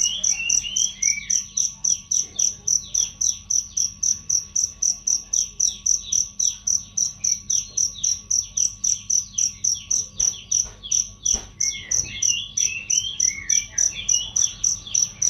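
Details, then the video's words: Cricket chirps meant for tutoring songbirds, clear and loud: a long run of evenly spaced shrill pulses, roughly 3.7 per second, accompanied throughout by busy background bird twittering and a few sharp clicks. "masteran jangkrik untuk burung"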